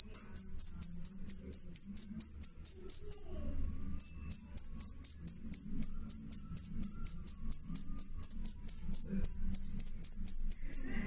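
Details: Shrill cricket chirping, loud and clean, pulses coming roughly twice a second, fading and stopping for about half a second midway, then resuming steadily over faint low background noise.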